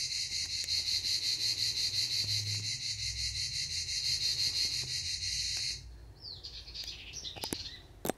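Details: At Canet-en-Roussillon, cicadas keep up a sharp, rapidly pulsing high buzz for about six seconds, then stop abruptly; brief bird chirps follow in the quiet.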